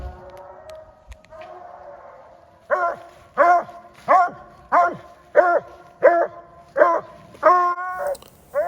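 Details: A trained coonhound at night in the woods, having found a raccoon on its own and treed it in the Y of a branch, gives loud, intense, evenly spaced treeing barks, roughly one every second and a half.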